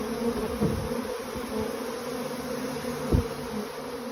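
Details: Honey bees swarming, rushing out of the hive with the old queen while bees staying with the new queen cling to the outside; a dense, steady low buzz with a strong hum and overtone, a few louder thumps near the start and end.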